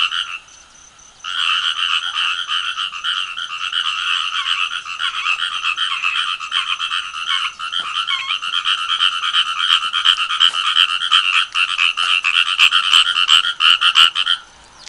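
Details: Frog calling at 5:25 in the early morning of 19 August 2022 in Fukuyama, Hiroshima Prefecture, Japan: a dense, continuous rapid trill of grating pulses, nearly three per second in rhythm, that breaks off near the end as the animal falls silent when approached.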